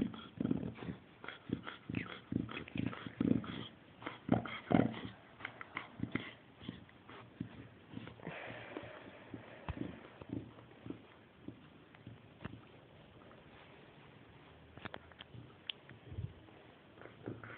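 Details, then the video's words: Chow Chow dog grunting like a pig indoors: a run of short, low, rough grunting bursts in the first five seconds, then quieter scattered snorts and snuffles with a few sharp clicks near the end. "Чау чау хрюкает Chow chow grunt like a pig Chow chow grunzen wie ein Schwein"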